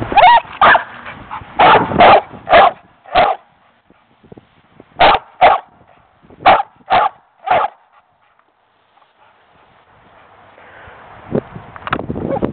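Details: An American Pit Bull Terrier barking to be let inside: loud, sharp single barks in quick bursts, about a dozen over eight seconds, a pause, then a few more barks near the end.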